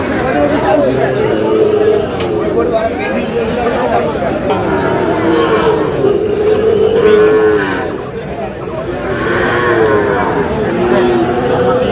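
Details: Sahiwal bull calves at a cattle market in Comilla, Bangladesh, lowing in long drawn moos amid constant crowd chatter and men's bargaining voices.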